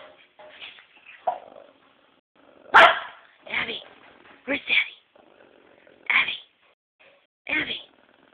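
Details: Protective female Pekingese giving warning barks at a man banging an empty bottle, loud separate barks roughly every second or so, mixed with a person talking between them in a quiet room.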